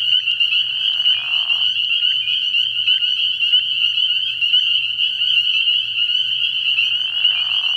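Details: Early-year night at a frog pond, with spring peepers producing a constant shrill chorus of overlapping high peeps; a lower rasping burst near the start and another near the end, over a faint low hum.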